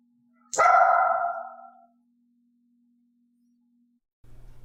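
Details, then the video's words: Mixed-breed female dog in clicker training, barking on her own without a prompt; a single loud, piercing, harsh bark starting abruptly and fading over about a second, then silence and a low muffled thump. "i wanted to see if elaine would offer the behavior and bark on her own"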